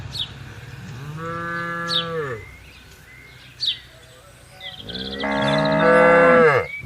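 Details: Tame cattle grazing on a vast open pasture; two long, low, richly harmonic moos, the second louder and longer, with brief bird chirps in the gap between them.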